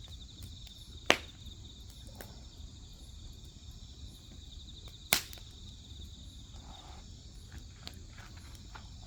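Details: Continuous pulsing high-pitched chorus of grass insects next to a wood fire, the trill unbroken throughout, interrupted by two loud crackles from the burning logs and a few softer ticks.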